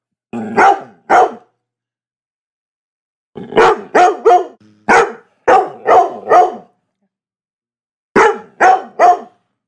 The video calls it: Labrador Barking Dog